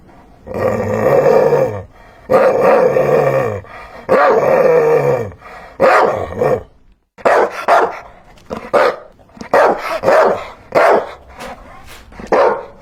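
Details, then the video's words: Dog giving long, harsh, drawn-out barks with a growling edge, each lasting about a second, then shorter, snappier barks coming in quick succession during the second half. "Hear the sound of a dog barking"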